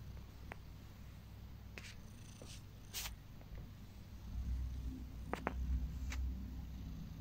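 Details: Heliana, a pet cat, purring while getting ear rubs she loves; a low steady rumbling purr runs throughout, with a few soft clicks and rubbing noises on top and a slightly louder stretch near the end.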